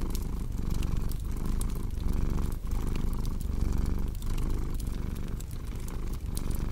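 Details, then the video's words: Cat purr mixed with cozy fireplace crackle for deep sleep and relaxation: a dense, low, vibrating rumble in steady cycles, brief dips roughly every second, overlaid with frequent snapping and popping of burning wood. "Purring Cat with Cozy Crackling Fireplace Sound"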